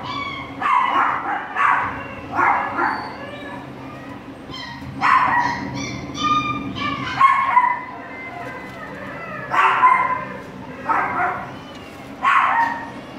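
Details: Border Collie puppies, a pair on their first shelter day, yipping and barking in quick irregular bursts, some calls rising into thin whimpering tones, with a constant low droning hum behind them.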